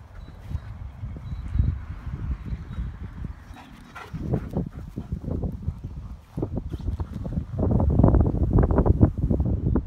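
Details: A female Siberian Husky gives low, rumbling groans and yowls in uneven bursts, its typical singing voice.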